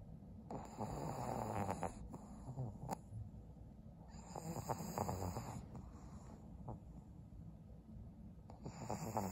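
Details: Senior fawn pug Maria, a 12-year-old female kept as a pet in Japan, snoring in December: loud, throaty rattling breaths roughly every three to four seconds, with snorty clicks inside each and quiet gaps between.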